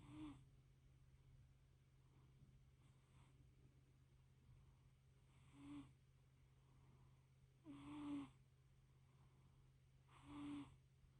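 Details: A small fluffy cat napping, purring and snoring: breathy, rasping snores roughly every two and a half seconds, some louder than others, over a steady low hum.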